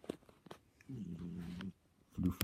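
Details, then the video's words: Flufferson, a fluffy male pet cat, snoring while asleep indoors: one low, rough, droning snore lasting most of a second, then a brief quiet gap and the start of another, with faint clicks around it. "Snoring cat! yay!"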